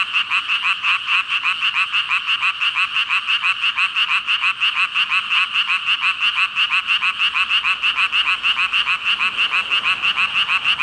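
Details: Massed frog chorus of some five thousand callers, a continuous bright band of croaking with fast, evenly spaced pulses roughly three per second running through the whole stretch.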